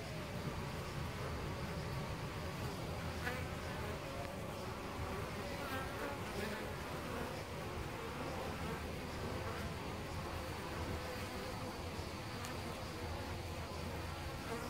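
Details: Nest of European honey bees inside a tree-trunk cavity, Costanera Sur Ecological Reserve, heard at about ten centimetres: continuous, even droning of a crowd of bees, a thick low hum with slight flickers of louder wingbeats.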